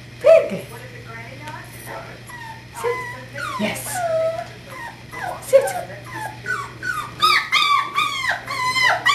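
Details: Five-week-old puppy, male, recorded 13 January 2012, giving thin rising and falling whines and yips that grow busier toward the end, while a man speaks to it and a steady low hum runs underneath.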